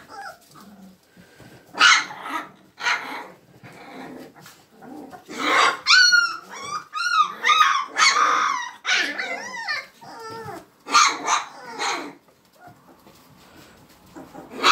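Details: Vizsla pups, Hungarian pointer litter, trading a busy mix of high whimpers, squeaky bent yelps and harsh little growls, bursts crowding together in the middle then thinning out.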